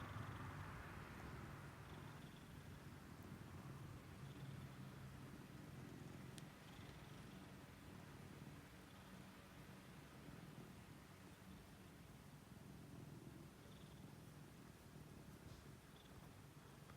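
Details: A purring American Shorthair cat enjoys a chin rub, making a low, even purr that throbs on and on through the whole stretch. There is gentle handling noise and a brief click.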